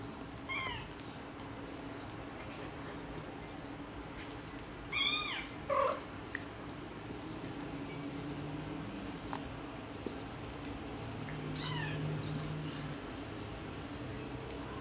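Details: Tabby mother cat talking to her kittens: a few short, high, chirp-like meows in three separate bursts several seconds apart, over a steady low hum and faint background noise.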